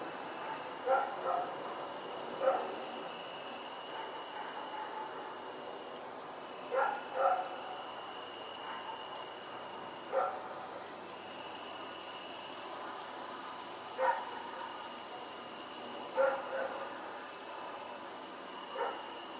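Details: At night in Pyrga on October 7, 2018, Rex the dog keeps barking while running around, sounding somewhat distant. Short single and paired barks come every few seconds over a steady background of high thin tones.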